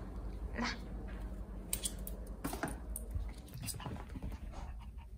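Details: Jaerong, a pet Maltese, excitedly circling and nudging a sleeping older sister at home; fast panting with pattering paws and rustling bedding, scattered soft clicks and movement sounds.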